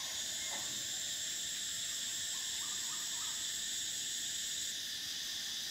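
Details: Cicadas in summer: a steady, shrill, high-pitched buzz holding unbroken for almost five seconds, then cutting off near the end. Faint short chirping notes rise in the background.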